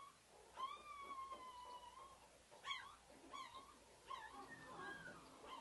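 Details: White female purebred pug puppy whining: a drawn-out, steady high whine, then short yelps and squeaky rising whimpers about once a second, over faint room hiss.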